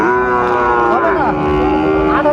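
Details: Sahiwal cattle, bull calf at a livestock market in Sylhet, Bangladesh, 16 December 2024: a long, steady, harmonic moo holds through the clip, with a brief pitch wobble midway and market chatter faintly behind.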